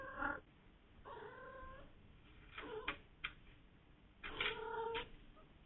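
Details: Female domestic cat trilling and mrrping: a short chirp, a longer rolling trill, a few brief clipped sounds, then a final drawn-out harmonic trill.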